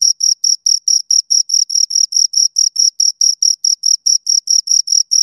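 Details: Crisp, evenly spaced high-pitched chirps from two crickets, around four per second, each a short scraping buzz with a faint overtone above.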